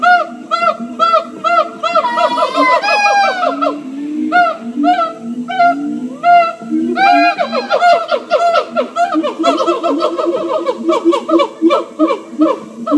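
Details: Siamang gibbons at a zoo sing loud, overlapping whoops and barks that speed up into a rapid, rhythmic chorus.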